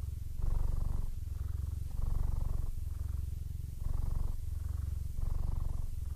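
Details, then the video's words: Almost blind 15-year-old male Siamese cat purring happily, a steady deep rumble pulsing in regular inhale-exhale cycles about every one and a half seconds, with no other sounds. "Blind Siamese Cat, Sounds Happy"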